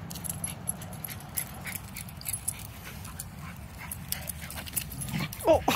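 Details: A pitbull and a mini Australian shepherd play-fight with low, rumbling growls and a brief whimpering yip near the end.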